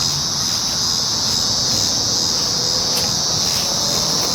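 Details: Cicadas recorded on 19 July 2019, a steady, unbroken high-pitched buzz holding throughout, with faint scattered clicks and low background rumble.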